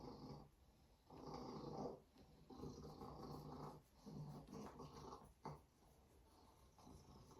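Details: Female Savannah cat Binah purring indoors, a softer, continuous low rumble with gentle rises and dips following her breaths, some faint hissy breath sounds over the top.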